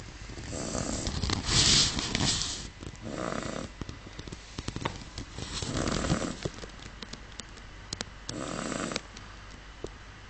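A sleeping Miniature Schnauzer snores in soft, breathy rasps, each breath coming every two to three seconds.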